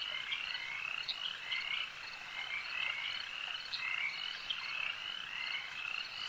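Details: Lake frogs in full chorus, many overlapping trilled croaks and sharp clicks forming a continuous shimmering wall of sound, with brief louder chirps standing out every second or so.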